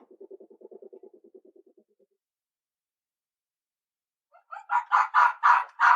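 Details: Red fox call: a quick, low, stuttering pulse of notes fades out, then after a silent gap a series of loud, rasping barks builds in volume.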